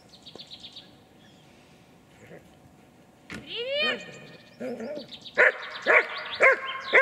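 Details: A German Shepherd in guard training barks loudly and energetically on the handler's command, holding an intruder decoy at bay and pressuring him.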